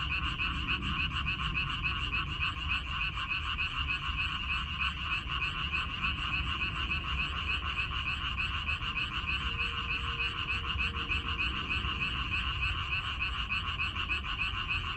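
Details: Frogs croaking in a minari (water dropwort) field in Korea, recorded May 14, 2021: a dense, continuous chorus of rapid pulsed croaks banded in two pitches, with a brief faint tone near the middle and low rumble beneath.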